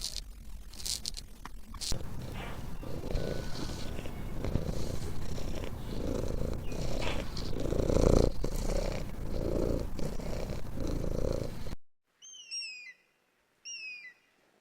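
A domestic cat purring, a deep steady rumble that swells and eases with each breath.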